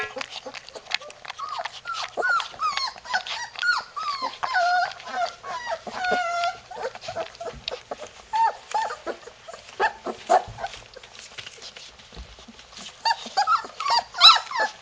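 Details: Litter of three-week-old Labrador Retriever puppies in Florida whining as they try to get out of their house: many short high whimpers and squeals, dense at first, thinning to scattered yelps and shuffling, then a louder burst near the end.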